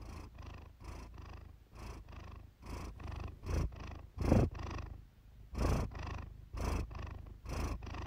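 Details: Iris the Siamese cat purring close up for relaxation; a deep throaty rumble in distinct breath-length surges, one louder swell near the middle, pulses roughly every second.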